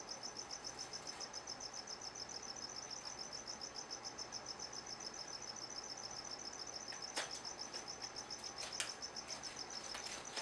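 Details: Crickets inside a gargoyle gecko's vivarium, giving a steady, high, rapidly pulsed chirping that runs continuously throughout, faint against a background hiss, with a few brief clicks.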